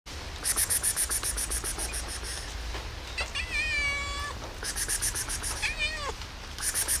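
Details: Lonely cat meowing on a rainy day, asking for tasty food: two drawn-out meows with wavering harmonics, the second bending downward at its end, over steady rain and regular rhythmic clicking taps.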